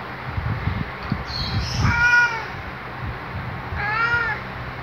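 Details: Waking greeting from Luna, a male black cat: after murmured Tagalog speech come two separate bright, arched meows about two seconds apart, with faint room hum behind.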